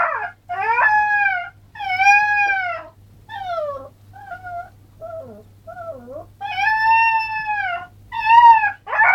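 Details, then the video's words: Alaskan Malamute puppy howling: long wavering tonal howls with rich harmonics, rising and falling, broken by shorter dipping whimper-like notes, then two more strong sustained howls near the end. "alaskan malamute pup, howling"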